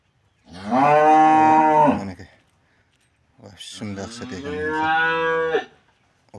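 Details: Cattle undergoing treatment to clear metal objects from the stomach, giving two drawn-out moos. The first is level and loud, the second wavers upward before holding steady. A short quiet gap separates them.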